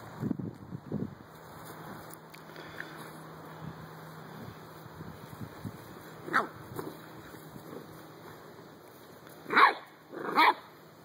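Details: Dogs at play in a backyard, a Dalmatian, an American bulldog and a Chihuahua together. Mostly quiet low rustling and a steady hum, then two sharp loud barks close together near the end, after a spoken word about a toy.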